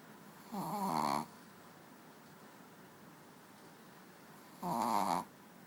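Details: Pet dog named Manja snoring while asleep on a bed indoors: two rasping, harmonic snore breaths about four seconds apart, each lasting under a second, with quiet room hiss between.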